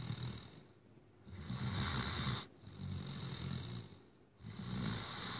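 A Great Dane puppy snores in deep, rumbling breaths that rise and fall every second or two.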